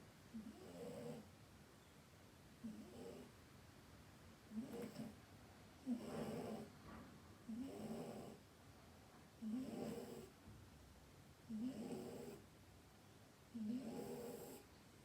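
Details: Snoring of a sleeping cat, a steady run of eight low, raspy, buzzing breaths spaced roughly every two seconds, each rising and fading, with a faint hiss between them in a quiet room.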